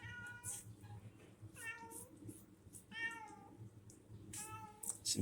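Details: Four separate meows from Loren, a domestic cat at a small shop, each about half a second long, wavering and slightly falling, spaced roughly a second apart over low background hum.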